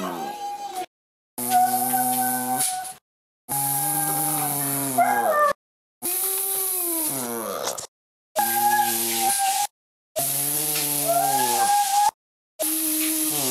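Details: Buddy the Boston terrier sings in a run of drawn-out, melodic howls, each a few seconds long, rising and falling in pitch with quavering bends, separated by brief silent cuts.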